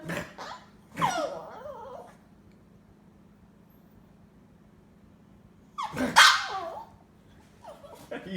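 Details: A Chihuahua answering a snort with two bursts of wavering, grumbling whine-growls several seconds apart, with a short snort-like sound near the end and a low steady hum behind.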